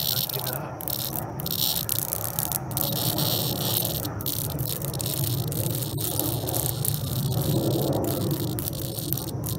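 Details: Cicada struggling against a stinging European hornet, its loud rattling buzz running almost continuously with brief dropouts, over heavy low rumbling handling noise.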